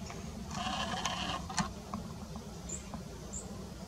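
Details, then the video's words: Roe deer in the 2022 rut, with mating and bucks, recorded on an early-morning outing in the field: a harsh, bleating call with layered harmonics lasting about a second, then a short sharp note. Faint high bird chirps sound later. "Ruja saren - krycie i kozły.2022 roe deer rut"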